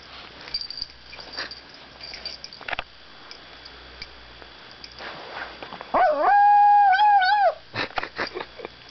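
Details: Pet dog Izzy, a female, making her bedtime noises indoors: after quiet room sounds and soft clicks, one steady, clear howl rises and holds for about a second and a half, wobbling slightly at its end before stopping.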